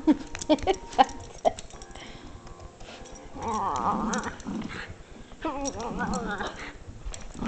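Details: Sadie, a Jack Russell Terrier, playing with her toy; whining, wavering vocal sounds rise and fall around 4 and 6 seconds, after short scattered clicks and taps, with a person coaxing her about the toy nearby.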